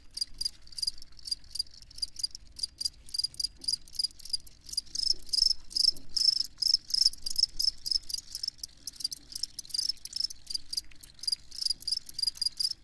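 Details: Field crickets giving rhythmic high chirps, about two or three pulses each second in clear bursts, a bright tonal band carrying each chirp, quiet surroundings, meant as night-time sleep sound.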